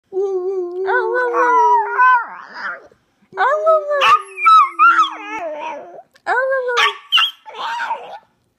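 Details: Chihuahua howling, a pet dog: long wavering tonal howls with rich harmonics, rising and falling, in three bouts separated by short pauses, ending in brief yelping notes.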